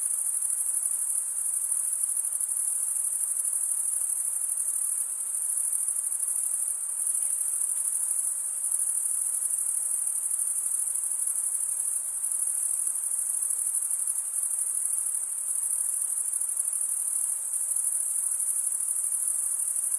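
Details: A constant chorus of chirping crickets, males rubbing serrated wing veins together, gives a sustained shrill buzzing trill with small swells in volume; nothing else is audible beyond faint hiss.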